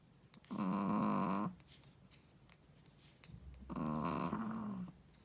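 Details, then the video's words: A first-time mother Shih Tzu snoring while she sleeps: two rough, vibrating snores about three seconds apart, the second wavering in pitch, with soft breaths in between. "How loud does a shih tzu mommy snoring?/ Shih tzu snoring"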